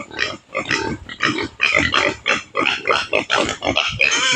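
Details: Native pig on a Philippine provincial farm, being fed taro: a dense run of harsh squealing grunts, pulsing about twice a second, bright and raspy, with no other clear sounds.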